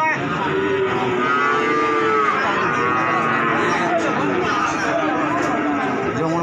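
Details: Calves for sale at the Wage cattle market in Pati, Indonesia: a few drawn-out lowing moos rising and falling over the first seconds, partly buried in the loud, constant chatter of a market crowd.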